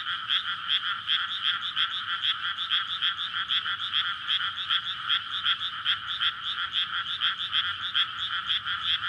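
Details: Courtship chorus of frogs after paddies are flooded for rice planting in May, recorded at night with a PCM recorder; many voices croaking in rapid rattling bursts, continuous and loud, faint low hum underneath.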